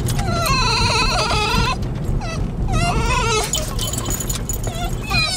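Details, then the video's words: Basenjis worked up about a trip to their favorite nearby park give a long wavering, warbling whine, then shorter rising whimpers, with a person talking to them and car rumble beneath. "Whiny Basenjis Headed To The Park"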